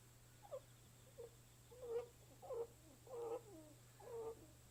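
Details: Rabbit giving six short, soft squeaky calls about every two-thirds of a second, growing slightly louder and longer, over a faint steady hum.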